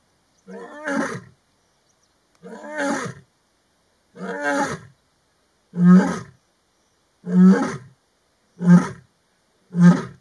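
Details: Afternoon roaring by a lioness from the Maji ya fisi pride, calling to fellow pride members; seven deep, throaty grunts, the early ones longer and softer, the later ones louder, shorter and quicker, with silence between.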